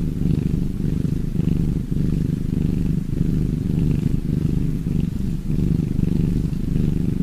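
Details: Continuous purring of cats, a low buzzy throb that pulses in regular breath-paced waves near one per second, with faint higher rustles.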